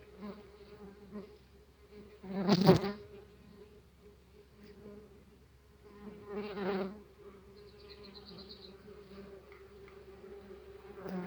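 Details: Steady deep drone of a tree bumblebee colony from an apiary nest box, opened while the aggressive bees fly about; two loud bumps near the start and middle, plus a brief higher whine later.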